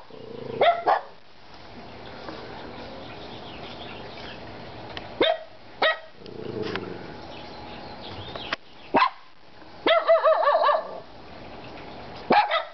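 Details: Three dogs, Kona, Koko and Konnor, bark only occasionally, leaving long quiet gaps between single barks. One wavering, yelping burst comes near the end.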